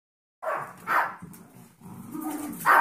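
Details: Little 5-week-old Yorkshire Terrier foster puppies bark at bigger 13-week-old Golden Retriever mix foster puppies in play, giving sharp, high yaps, a pair close together and another after a pause, with a low rumbling murmur between them.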